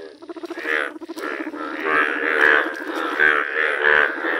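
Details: Yellow-coloured Indian bullfrogs calling outdoors: overlapping, buzzy, bleating croaks merge into a steady chorus. Stuttered pulses open the recording before the calls swell.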